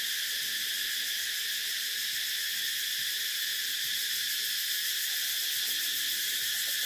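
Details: A steady wall of cicada sound: dense, hissing, high-pitched droning that never pauses or changes in volume, and has no other clear sounds behind it.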